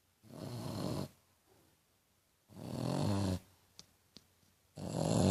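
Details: Tequila, a French Bulldog, snores piglike indoors: long grating inhalations near a second each, rough and low with hissing overtones, separated by silent pauses, plus two faint sharp clicks during one gap.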